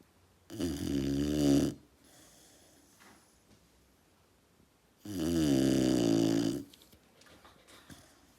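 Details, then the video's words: Retriever puppy asleep indoors, snoring like a person: two loud, buzzy, harmonic snores, each lasting about a second and a half and spaced roughly four seconds apart, with quiet breathing in the room between them. "애기 리트리버의 코골이asmr"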